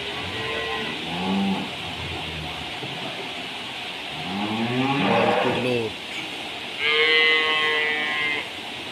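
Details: Cattle on a farm kept for milk, lowing in several drawn-out harmonic moos: one early, a lower falling moo mid-clip, then a higher, strained moo near the end, over steady background noise and music.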